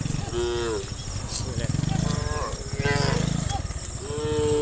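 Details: Tame cows, dozens of them, running and jumping down a hillside in a line. Three separate short moos sound about every two seconds over a continuous low rumbling, pulsing background.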